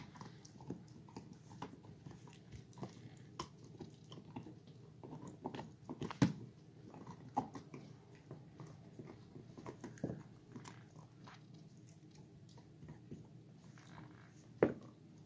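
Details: Gollie pups, 4½ months, can't stop biting their bones: continuous low gnawing broken by loud crunchy snaps around six, seven and fifteen seconds, in a small indoor room.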